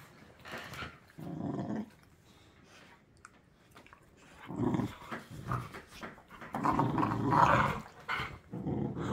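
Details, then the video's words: Rescue pit bull and a baby-toothed pit bull puppy play-wrestling; short grumbling growls come in bursts, then a longer rough snarling stretch near the end, with light knocks and a person talking. "Pit Bull Puppies wrestling: Epic Growling & Snarling"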